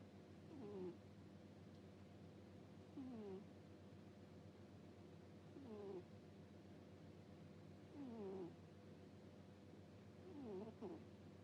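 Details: Sleeping pet cat snoring with a soft 'puu puu' sound, five squeaky, whistling breaths that dip in pitch, about one every two and a half seconds, over a steady low indoor hum.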